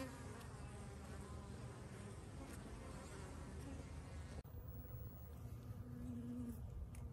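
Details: Bees going about their business, filmed recently or the year before: a quiet, low, continuous buzzing hum with a brief click at a cut midway, then similar soft buzzing with a faint higher drone.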